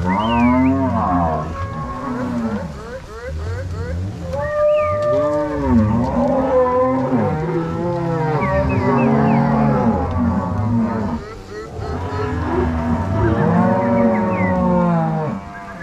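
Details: A herd of crossbred Angus-Nelore cows, herded by three cowboys and six dogs from corral to pasture at Fazenda São Matheus, Ortigueira; a dense chorus of many overlapping moos, rising and falling in pitch.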